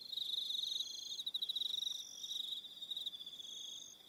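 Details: Short burst of evening cricket chorus from Aroha Island, New Zealand: a piercing steady trill with quick pulsing, plus separate higher trills starting and stopping over four seconds.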